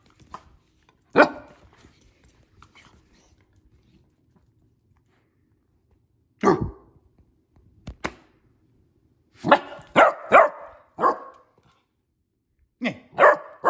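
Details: A Basset Hound puppy, a young female, barks while playing and acting tough: isolated sharp barks with long gaps, then a quick cluster of four yappy barks and a final pair.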